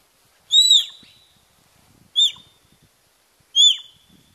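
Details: A wild sika deer in Qingliangfeng National Nature Reserve, Zhejiang, China, gives three high, piercing whistles, each arching up then sliding down, calls made to intimidate competitors in the October–November mating season.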